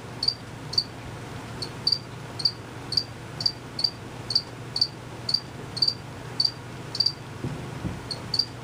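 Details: Hidden male cricket chirping by quickly moving its wings; sharp high-pitched chirps repeat at about two per second, fairly even, above a quiet steady hum.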